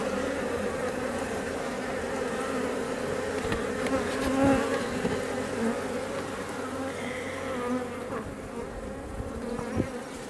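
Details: Many Iberian honey bees (Apis mellifera iberica) at a Langstroth hive west of Roquetes, South Tarragona, Catalonia, near Els Ports park, make a dense, continuous low, even drone with brighter buzzing and passing wingbeats.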